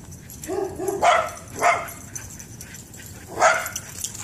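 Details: Two excited dogs, a Shiba Inu and a Pit Bull, reunited and chasing around a backyard in play; a brief low whine leads into three loud, sharp barks spaced about half a second to two seconds apart.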